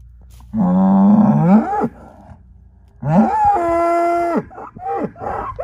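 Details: Angus herd sire bull born spring 2018 gives two drawn-out calls, the first low and rough, the second higher and steadier, with short grunting sounds trailing after.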